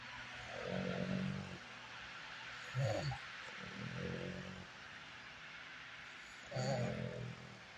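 A French bulldog snores in low, rumbling breaths, each lasting about a second with short pauses between.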